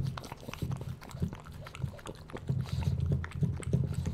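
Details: Bowser, a pug puppy, eating offered food indoors: rapid wet chewing and crunching mixed with low snuffling grunts, dense and continuous throughout.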